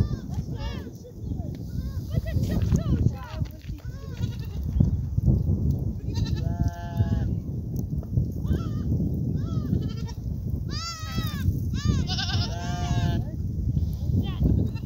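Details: Herd of goats bleating amid a steady low rumble; several wavering, nasal bleats rise above the din around the second, seventh and eleventh-to-twelfth seconds, some overlapping from different animals.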